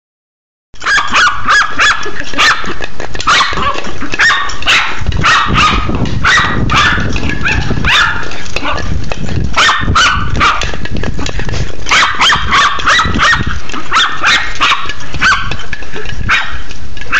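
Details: Smooth Fox Terrier playing with a plastic egg: rapid, sharp high barks and yips in quick irregular bursts, about three per second, loud throughout with clattering play noises.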